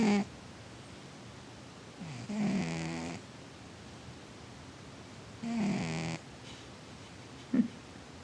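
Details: Sleeping male pet cat named But-Air snoring indoors: two long, rasping, noisy snore breaths roughly three and a half seconds apart, each lasting about a second, with a brief low voiced sound at the start and a short sharp sound near the end.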